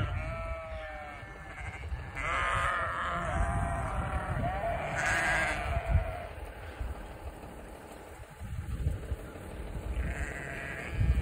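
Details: Sheep in Vermont following a person on a walk during deliveries give several wavering bleats, some drawn out and some short, partly masked by steady low rumble like wind or a vehicle.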